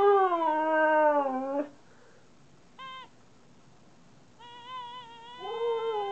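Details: Pet Siberian Husky vocalizing back at its owner: a drawn-out falling howl, a brief yip after a pause, then quieter wavering tonal whines building toward the end.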